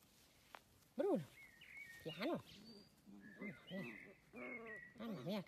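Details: Playful Dachshund, a sausage dog, giving a series of short, arched, whining yelps that rise and fall, about a dozen over five seconds, with bright bird chirps twittering in the background.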